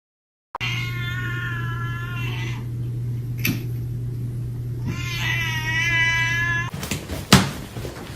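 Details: Domestic cat giving two long, loud, wavering meows, the first about two seconds, the second after a short pause, harmonic and drawn out, over a steady low hum, ending with clattering knocks.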